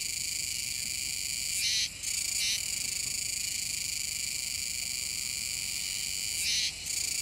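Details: Singing Kuroiwa's cicadas at the Kōme River mouth, Tenjin-chō, Nishinoomote, Tanegashima, Japan, in early September 2022. A steady high-pitched buzzing chorus with a pair of loud rasping bursts, the second arriving nearly five seconds after the first.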